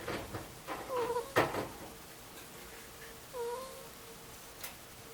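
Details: Asleep, two-year-old Angora ferret Mutchin produces a quiet 'kuu-kuu' snore: two brief whistled tones about two seconds apart, with a faint hum between them. Several sharp knocks and rustles come early on.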